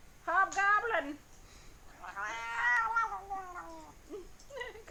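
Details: Weird vocalising from a fat house cat: a short, strained yowl, then a long moaning cry that swells and droops, and another brief call at the end, while someone speaks in the background.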